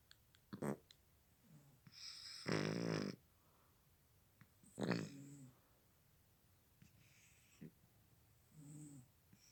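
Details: A cat asleep snores in uneven, wheezy rasps, one long buzzing snore near the middle followed by softer, shorter breaths and faint rattles in a quiet room.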